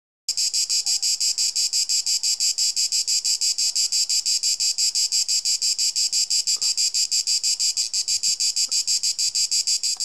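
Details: Cicada orni cicada singing: a loud, dry, high-pitched buzzing song that starts abruptly and runs unbroken, built from rapid pulses of about three per second, steady to the end with only faint low background noise.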